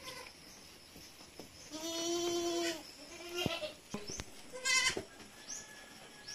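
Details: Goat kids bleating during weaning at Terra Grande Farms, San Carlos City, Negros Occidental, Philippines: one long, steady, tonal bleat with stacked harmonics lasting about a second, then shorter cries and clatter against background noise.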